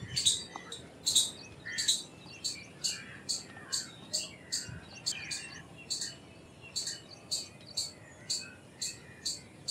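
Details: Repeated high, piercing chips from an Indian palm squirrel, roughly twenty in under ten seconds at an even pace, some followed by faint lower chirps; low background hiss.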